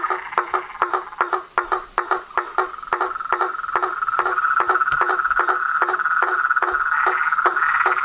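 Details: Frogs, toads and treefrogs in a natural chorus. Distinct rhythmic pulsed croaks, about two and a half per second, open over a softer high trill that swells and becomes continuous and louder.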